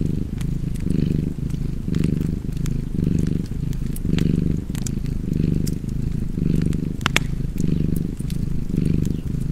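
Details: Purring house cat with fireplace ambience, the throaty low rumble alternating in roughly one-second breathing swells, overlaid by intermittent clicks and pops of crackling firewood.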